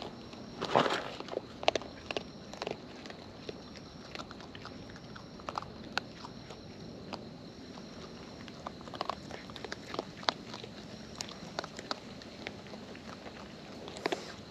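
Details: Wild raccoons eating at close range, with natural chewing: irregular crisp crunches and wet clicks scattered throughout, a denser burst of crunching near the start and steady faint background hiss.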